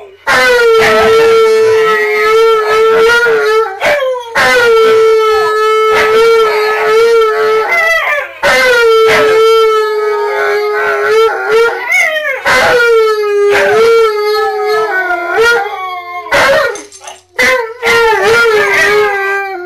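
Siberian Huskies howl together in long, steady, wavering notes that rise and fall at the ends.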